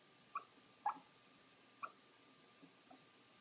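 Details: A Morkie puppy hiccuping, brief high squeaky hics, three distinct ones within about two seconds, then two fainter ones, irregular spacing, quiet indoor setting with no other sounds.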